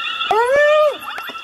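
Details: One hyena killing another in a fight to the death; a loud, clear tonal cry holds steady for half a second, then slides downward, followed by a few short clicks.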